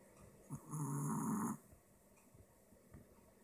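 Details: Male Apple Head Chihuahua with a short snout snoring: one loud, rasping, droning snore under a second long, flanked by faint breathy snorts in a quiet room.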